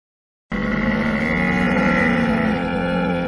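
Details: Brief harsh camel groan, coarse and burbling, beginning suddenly after a short silence and holding at a steady level to the end.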